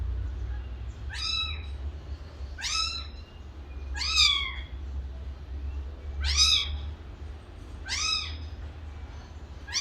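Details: Kitten meowing repeatedly, six high-pitched arched cries spaced about one to two seconds apart, each short and bright with a quick rise and fall; steady low hum underneath.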